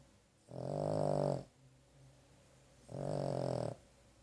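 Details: Pet dog Carley dozing after a rough day and a trip to the vet: a pair of long, grating snores close to a second each, separated by a soft low breath, recorded indoors in stillness.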